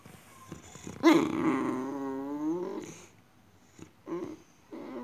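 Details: Female Boxer dog acting strange inside a small room; a sudden moaning whine that slides down over two seconds into a groan, followed by two short grumbling vocal bursts.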